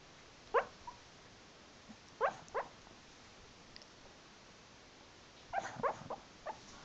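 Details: Pet dog dreaming and 'talking' in its sleep indoors, with another dog nearby: short high whimpering yips in small bursts, a single one, then a pair, then a cluster of four near the end, over a quiet room hiss.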